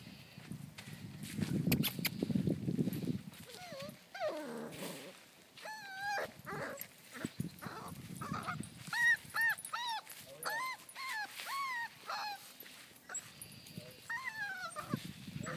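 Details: Belgian Malinois puppies of one litter, five weeks old, playing with a flirt pole: a series of high, bent whines and yelps, several repeated in quick succession mid-clip, after low rumbling noise and a rustle at the start.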